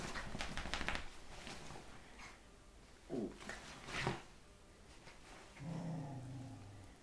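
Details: Two Scottish Terriers, a 12-week-old puppy and a 2-year-old, wrestling on a bed in the morning: short low growls near three and four seconds, then a longer rumbling growl, over scuffling and rustling bedding.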